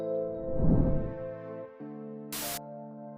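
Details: Sustained ambient music tones with a short burst of static noise, no animal sound.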